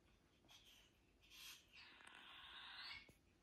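A European polecat gives breathy, noisy hisses in short bursts, ending in one longer hiss aimed at a dog.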